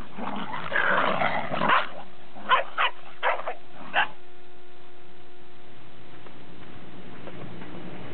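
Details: Domestic dogs, Pembroke and Cardigan Welsh Corgis with a Cairn Terrier, recorded 30 December 2006; a noisy growling scuffle, then four short sharp barks about half a second apart, followed by quiet hum.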